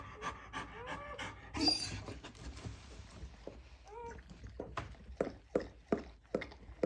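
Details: German Shorthaired Pointer bitch giving birth to puppies indoors, panting in quick irregular breaths with a few short soft whimpers and snorts, some rustling in a small room.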